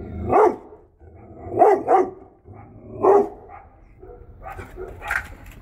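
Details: Female Great Dane and Belgian Malinois cross, a protective home guard dog, giving a run of deep barks, some doubled, roughly one per second, ending with a higher, sharper bark.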